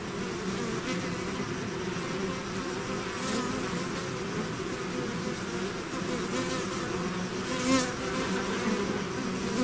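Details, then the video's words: Bees swarming out of their hive make a continuous layered drone, many wingbeat tones overlapping, with brief louder passes of individual bees flying close around the eighth second. "bees therapy swarm natural buzzing sound"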